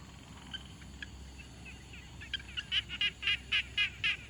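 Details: Frog at a quiet pond, field-recorded on a Tascam Portacapture X6: faint scattered notes at first, then from mid-clip a run of about eight loud, buzzy, mid-pitched pulses repeated roughly four times a second over a low background hiss.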